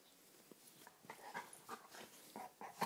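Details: Pet dog in rough-housing play, indoors: short, grumbling growl-whimpers repeated about every quarter second, each a brief voiced burst, ending in a louder yelp-like note.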